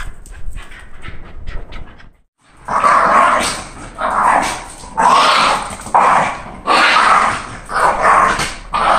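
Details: A female Shiba Inu, excited on hearing it's walk time, gives loud, drawn-out yelping cries about once a second.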